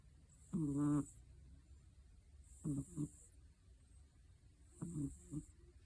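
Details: Sleeping British Shorthair cat with hachiware (black-and-white) markings snoring: three low, harmonic rasping breaths, roughly every two seconds, each with a soft airy hiss on top, in a quiet room.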